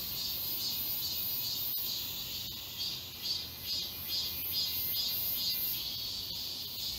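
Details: Cicadas singing as a chorus among the trees of Galsan Park, Mokdong, Seoul, in high summer: piercing high buzz with regular pulses near twice a second, continuous and dense throughout.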